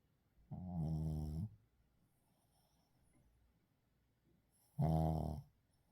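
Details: Sleeping Shih Tzu named Uijung snoring, captured unedited with its breathing. Two low, rumbling snores with a rich harmonic buzz, each lasting under a second and about four seconds apart, with quiet breathing between them.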